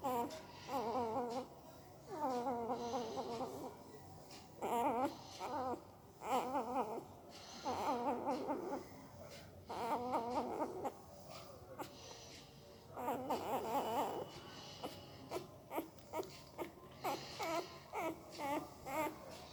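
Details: Sleeping puppy making odd noises with its mouth: wavering, whiny, squeaky bursts about a second long, grouped in short runs with brief pauses between, turning into shorter clipped chirps toward the end, in a quiet indoor setting.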